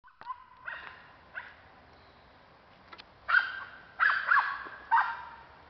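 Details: Cairn Terrier hunting for squirrels, giving a run of short, sharp, high yapping barks, quiet at first and then louder, in uneven clusters of two or three near the end.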